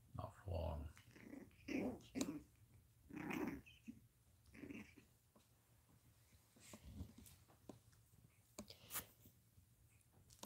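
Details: Two 10-week-old long-haired Chihuahua puppies give small, rough growls in bursts while playing, with a person talking nearby.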